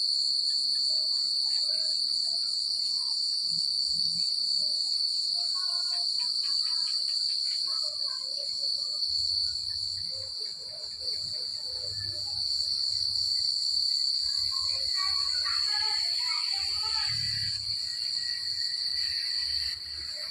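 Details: Crickets chirp through a countryside night, a steady piercing trill holding one pitch, joined by bursts of quicker lower chirping notes and a soft low background murmur.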